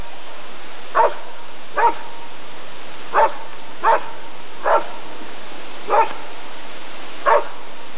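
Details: Rottweiler at the 1994 ADRK Körung breed survey giving seven short, single barks spaced about a second apart, each an abrupt mid-pitched burst against a quiet background.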